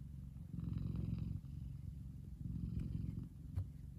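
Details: Big male F2 Savannah cat relaxing in the sun, purring steadily: a deep, low rumbling purr in two long phases with a brief pause between breaths, quiet indoor background.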